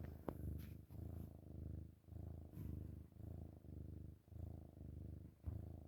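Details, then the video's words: Loud, deep purring from a chubby kitten during morning cuddles, the rumble swelling and fading with each breath roughly once a second, recorded up close with slight rustles. "Kitten Cuddles in the Morning - Chubba Kitten Purrs LOUDLY"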